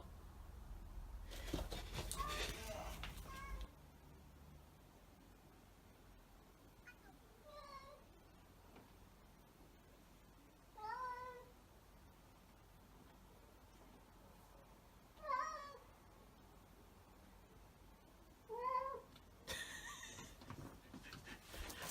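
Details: House cat meowing to summon its owner, using varied voices: five spaced, clear meows, each rising then dropping, several seconds apart, with brief rustling and handling noises in a quiet indoor room.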